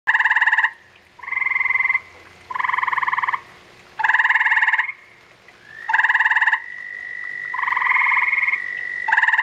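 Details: Gray tree frogs during spawning, a mating pair: loud musical trills in bursts under a second long, repeated every second or so, overlapping a steady high whistle-like tone.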